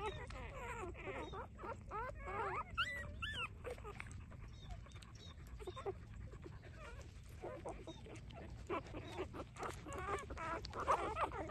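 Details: Three-day-old puppies nursing from their mother, uttering many high squeaky whimpers and yips, rising and falling rapidly in irregular bursts, with a man speaking Vietnamese and low rumbling in the background.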